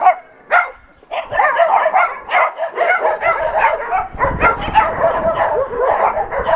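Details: Several adoption-center dogs bark together as an NRK TV crew looks on. The barks and yips blur into an almost unbroken din, with some higher whiny notes and a low knock near the middle.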